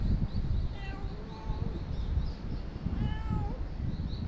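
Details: Talkative stray cat meowing outdoors: two short rising-falling meows, the second longer and more drawn out, over a steady low rumble of background noise.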